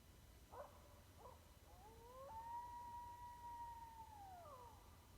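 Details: An East Texas coyote gives two short yips, then a long rising howl that holds steady before sliding down.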